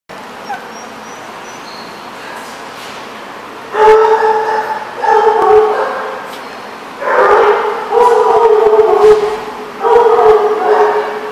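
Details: Dogs at The Barking Lot on 28 April 2014 give drawn-out, tonal howling cries in five bouts of about a second each. The cries come in pairs and then a cluster, over a quiet background with a faint high whistle early on.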